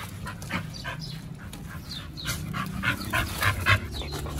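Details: Pit Bulls Oliang and Nomyen eating raw meat at a picnic at a dog hotel on Chinese New Year 2021: quick, uneven breathy bursts with wet chewing and crunching clicks, louder toward the end.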